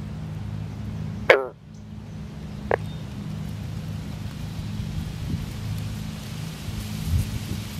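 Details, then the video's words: A male northern green frog, in a mating embrace among newly laid eggs, gives a single loud, twanging gunk like a plucked banjo string over a low rumble, with other males calling in the background. "Green frogs in amplexus"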